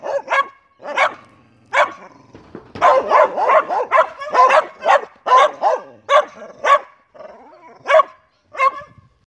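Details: Three neighborhood dogs barking; loud, sharp barks in irregular bursts, some overlapping in a rapid cluster midway, about fifteen barks in all, with occasional short whines between.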